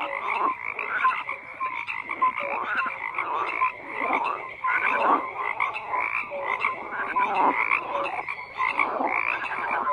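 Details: Continuous frog chorus of many overlapping croaks, rough pulsed calls packed tightly together with occasional brief tonal notes, the mass of sound rising and falling in waves across the whole stretch.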